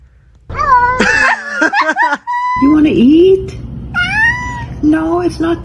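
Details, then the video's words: Talking domestic cat asking for food just after eating, while its owner chats and laughs: a run of drawn-out, wavering meows, one bending low then rising, others held and falling, interleaved with the owner's speech. "Ranking the Sassiest Talking Cats You’ll Ever Hear"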